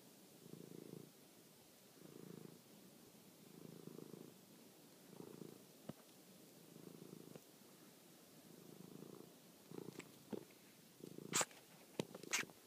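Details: Toby, a domestic cat, at night while chasing and killing a mouse: a low, rumbling purr in pulsing bursts about once a second, each lasting roughly half a second, with sharp clicks and taps near the end.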